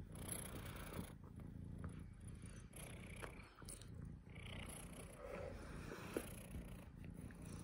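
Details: Low, even purring from the house cat Mogwai, a soft rumbling drone that swells and eases with each breath, light ticking noises on top.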